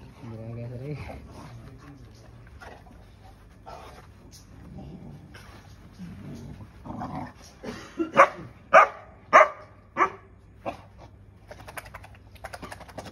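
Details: Cane Corso puppies: after quiet murmuring and a man's voice, a run of five or six sharp, short barks comes roughly every half second, tapering off, with faint indoor background noise.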